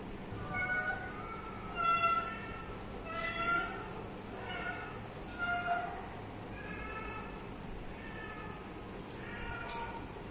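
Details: A young cat near drinking water mews repeatedly, about seven soft, tonal, slightly wavering meows at irregular intervals, quieter than the background hum, with a few light clicks.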